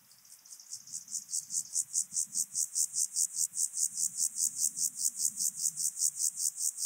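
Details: Alpine grasshopper recorded on Obir, Austria, on 30 July 2022 with an ultrasound detector: a long series of even, high buzzy chirps repeated about two to three times per second, growing louder, with faint low background hum.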